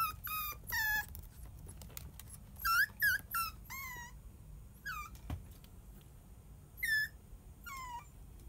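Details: Whimpering Kaninchen Dachshund puppies from a champion litter, calling indoors with sharp, high yips and wavering whines in short clusters, each cry bending downward, separated by brief quiet gaps and faint handling noises.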